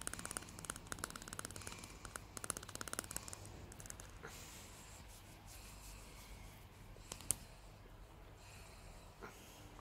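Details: Salty, a happy greyhound, chattering her teeth: rapid dry clicking bursts in the first few seconds, then a quieter stretch with a few isolated clicks in a small indoor room.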